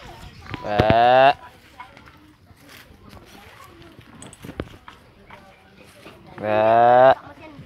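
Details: Free-ranging goats searching for food in an open pen in Indonesia; two long, wavering, harmonic bleats about five seconds apart, with quiet rustling and a person's voice between them.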